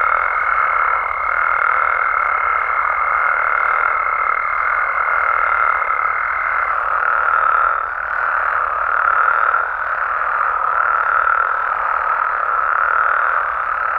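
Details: Frogs and toads calling at night in Mexico: a dense, unbroken chorus of buzzing croaks, with a steady high whine over it for the first six or so seconds and faint, thin downward chirps high above.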